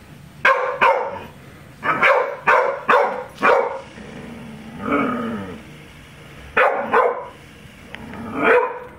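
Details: Pet dog, a female, barking excitedly at balloons: sharp loud barks in quick bursts of two to four, with a lower whining growl around the middle and a person telling her to stop.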